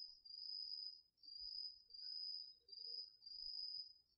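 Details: Crickets and other autumn insects calling at night in a garden field, taped with a DR-40X: one high, even trill swelling and fading in roughly one-second waves, with only faint background rustle.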